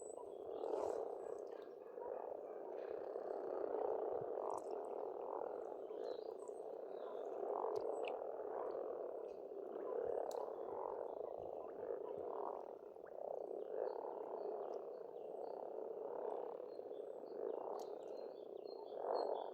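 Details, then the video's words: Many frogs croaking together at an Estonian pond in spring. The chorus is a thick, unbroken rattle that swells in pulses every second or two, with scattered faint bird chirps and twitters overhead. "Расслабляющее пение птиц и лягушек, весна"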